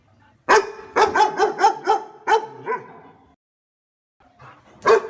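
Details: Dog giving a rapid burst of about seven loud barks in two seconds, trailing off into silence, then one more strong bark after a pause.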